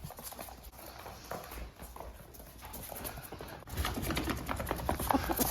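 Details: Two pet ferrets play; one makes quick, soft clucking sounds over busy scuffling and tapping.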